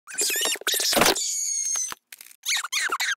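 A raccoon gives high, squeaky trills and chitters broken by a harsh, breathy squeal.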